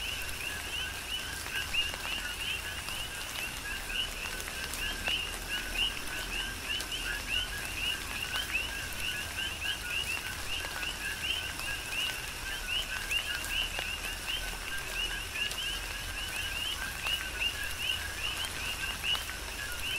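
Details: Rhythmic coqui frog chorus recorded in a tropical rain shower on Hawaii's Big Island, continuous overlapping two-note calls, the higher note slightly rising, beneath steady rainfall with scattered louder drips.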